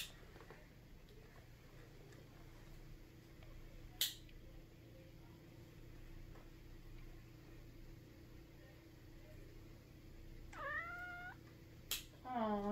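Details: A male Egyptian Mau cat, just woken up, gives two short, rich, falling chirping meows against a quiet room hum.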